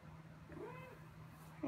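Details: Ao, a young cat on a trip to the vet, tense but not badly frightened, gives a faint short rising-then-falling meow over a steady low hum, with a person's gentle voice coaxing before and after.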